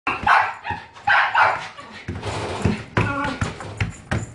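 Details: Female Shih Tzu puppy, white and brown, born January 2017, in a pet shop, giving short harmonic yips and barks in a few quick bursts, with human voices and handling noise in the background.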